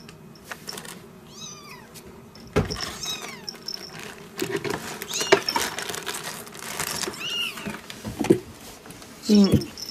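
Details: Repeated thin, high mews of newborn kittens, born 3 December 2016 to a first-time Siamese mother, each a short descending or arched cry, mixed with soft human speech and handling noises indoors.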